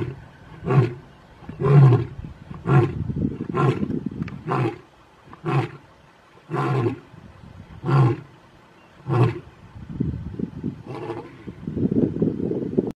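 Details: Big male Mpondo lions in South Africa give a series of short, low grunting roars, about one per second, fading toward the end under a soft rumbling background.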